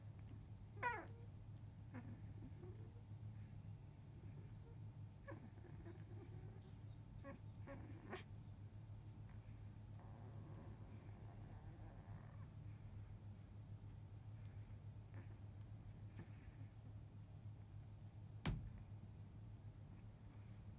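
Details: Eight field-line Labrador Retriever puppies, 14 days old, resting after feeding; scattered faint high squeaks and short whines appear, the first near one second and others around five to eight seconds, over constant low mechanical hum, with a sharp click late.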